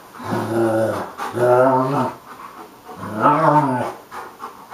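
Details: Romanian Mioritic and South Russian Ovcharka, two dogs playing together; three drawn-out, deep voiced growling moans, each under a second, with rough harmonic tone and short pauses between.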